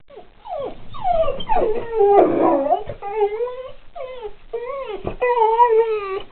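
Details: Roscoe, a pit bull, "talking" after seeing a dog outside: a run of rising and falling whines and yowls with strong harmonics, some wavering and drawn out, with a louder, rougher stretch in the middle.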